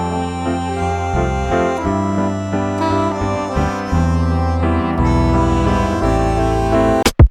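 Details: Electric piano music with sustained keyboard chords plays throughout, ending in a sharp click; no animal sound is heard.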